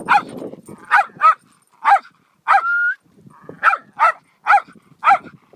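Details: A dog giving short, sharp barks, about eight in under six seconds at irregular intervals, one bark drawn out into a brief level whine; quiet pauses between calls.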